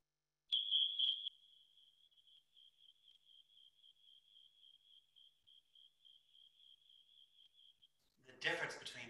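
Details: A snowy tree cricket in California sings on a really hot summer night; its song changes with temperature, giving a high, fast, evenly pulsed trill, followed by a speaking voice.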